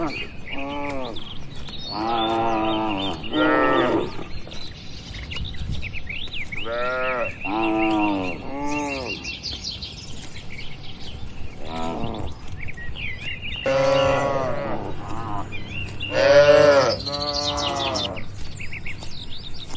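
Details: Cattle herd gathered in an open field in quiet village surroundings, grazing; repeated mooing from several animals, short and longer lowing calls following one another with brief pauses, birds twittering faintly in the background.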